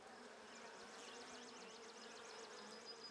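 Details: Steady droning hum from a first-year Buckfast honey bee colony, hive lid off for a May 2009 brood inspection, bees mellow after a cool night; a rapid zigzag bird trill runs high above the buzz.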